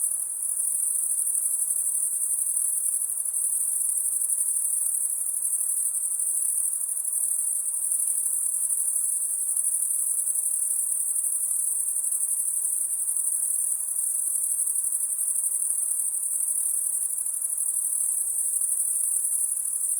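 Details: Night-time insect sound: thin, sharp, high-pitched ringing that continues evenly throughout, with only a low faint hiss beneath it.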